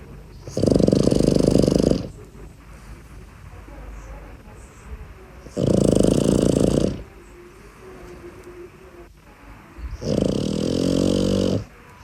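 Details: A sleeping Boston Terrier puppy, lying outside its cot, snores in loud, rasping bursts about every four to five seconds, staying asleep while the owner calls its name and says strangers have arrived.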